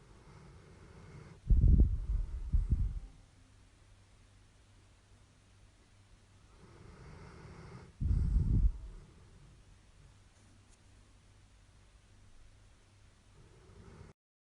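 Deep, throaty snores from a sleeping dog rumble low, each one a short rasping burst. Two snoring breaths stand out, about six seconds apart, with quiet breathing and faint hum between them.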